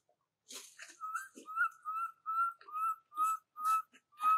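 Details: Baby monkey crying and calling for its mother, cared for indoors: a steady run of about eight high, clear whistled cries, each slightly rising then level, repeated roughly every half second after a few rougher opening notes.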